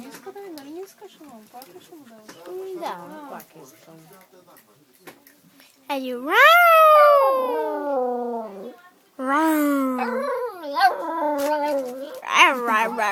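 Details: Dog on a train singing in a sustained howl that rises, wavers and falls, followed by a second long howl, after a stretch of people talking.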